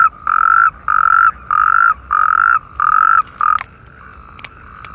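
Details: Natterjack toads chorusing in irrigation canals opposite Perales del Río, Parque Lineal del Manzanares: five loud, buzzy, even-pitched trills, each about half a second, repeated in quick succession, then stopping with a few faint clicks.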